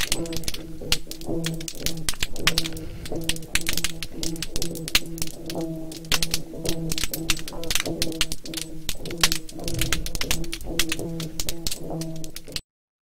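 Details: At Long Tabby, Sapelo Island, Georgia, USA, oyster toadfish (Opsanus tau) give a low, droning, boat-whistle-like hum in the background, while snapping shrimp crackle like frying bacon in the foreground.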